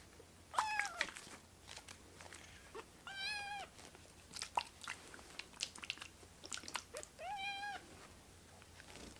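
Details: Rescued baby kittens, foster-cared, crowding together on a person's right hand; a few thin, high meows rise and fall among soft rustling and chewing noises indoors.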